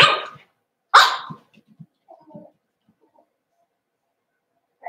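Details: Seven-week-old Cavalier King Charles Spaniel puppies in a home puppy pen: two sharp, high yips in the first second, then soft low grunts and snuffles and a brief yelp at the end.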